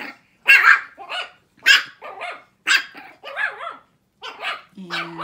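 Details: A barking contest among 6-week-old Shih Tzu puppies: sharp, high yips come in short groups about once a second, separated by silent gaps, with a steady tone entering at the very end.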